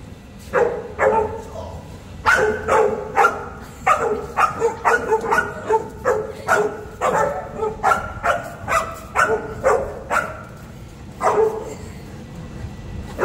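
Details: Boerboel (African Mastiff) from the pair Enzo and Diva in Egypt barks repeatedly, with loud, booming woofs coming roughly every half second to second in a long run, then a brief pause and a few final barks.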